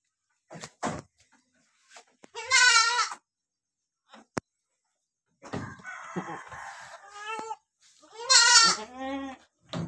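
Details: Goat mother licking her two newborn kids; loud, quavering, harmonic-rich bleats around two and nine seconds, with softer rustling and a few clicks between.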